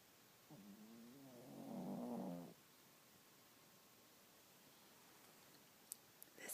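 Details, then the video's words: A 12 lb dog asleep on a lazy morning gives a single two-second snore that grows louder and rougher before stopping, then quiet room tone with a few faint clicks at the end. "the snoring 12 lb dog"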